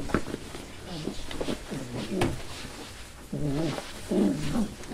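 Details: Rescue puppies, a five-week-old Lab and hound mix, make wavering harmonic whines and short yowls, several in a row with brief gaps, the last two louder and longer, over faint room noise.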